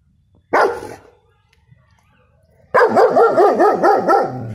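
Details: Male 6-month-old German Shepherd puppy barking loudly at home, showing protective instincts with a deep bark: one sharp bark, a pause of about two seconds, then a rapid burst of five or six harsh barks in quick succession.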